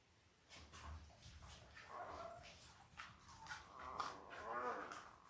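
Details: Five-day-old Labrador Retriever puppies from Belle's litter of eight, born October 15, 2023, on a live puppy cam. Wavering, whiny cries that rise and fall and grow louder over several seconds, with soft rustling beneath.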